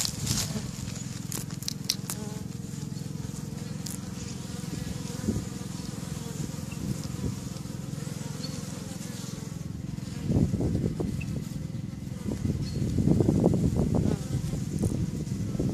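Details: Bees flying busily outside their hives on May 1st 2013: a steady low, droning hum fills the whole stretch, with scattered sharp clicks early on and a louder, rougher burst of buzzing toward the end.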